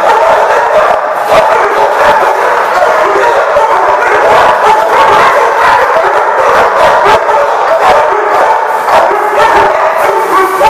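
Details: Continuous group barking from numerous dogs at The Barking Lot, 30 January 2015, with yips and some howl-like tones blending into a constant, crowded chorus from start to finish.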